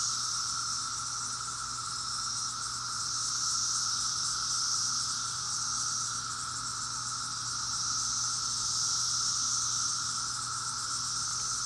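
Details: A dense, unbroken cicada chorus in Maryland in 2021: a high shrill hiss over a steady droning hum.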